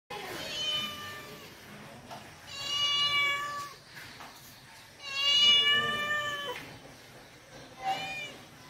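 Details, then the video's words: Cat meowing indoors: four drawn-out, high, harmonic meows, each about a second long and spaced roughly two seconds apart, some rising then falling, over a faint background hum. "Original Cat sound | cat sound | billi sound | cat voice"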